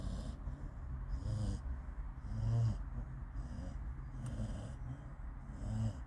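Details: A dog snoring in a car: soft, breathy, low snores repeat roughly once a second, each a short rasping burst, over a steady low rumble from the car.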